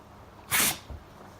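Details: Libre, a white Great Pyrenees, sneezing once during a nap: a single sharp, breathy burst lasting about a quarter second, followed by a soft low snuffle, in a quiet room.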